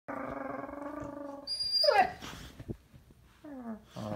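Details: Puppy throwing a tantrum: a sustained, high-pitched whining howl for about a second and a half, then a sharp squeaky rising-and-falling yelp, a pause, and a shorter descending whine at the end.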